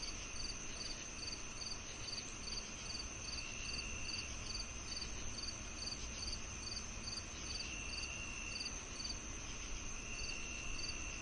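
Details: Crickets chirping alongside cicadas, offered as natural tinnitus masking: short high chirps repeating about twice a second over a steady high-pitched drone, with a constant low rumble beneath.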